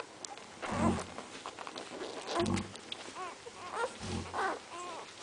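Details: Several Central Asian Shepherd Dog puppies: low throaty grunts alternate with thin, arching whimpers that rise and fall, coming in uneven bursts.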